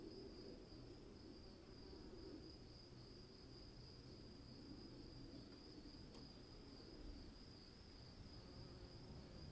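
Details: Continuous shrill cricket trill during rain, holding one even high pitch for the whole stretch, set against a dense low patter of rainfall.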